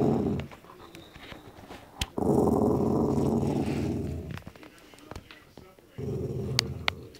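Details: While chewing a meaty bone, a grumpy dog growls at whoever comes close: a faint rumble, then a loud gravelly growl of about two seconds that fades, clicks and knocks, and a renewed growl near the end.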